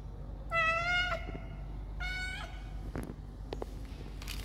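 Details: Ginger domestic cat chasing a person and begging for food: two loud, drawn-out harmonic meows, the first around half a second to one second in, the second near two seconds, followed by clicks and rustling.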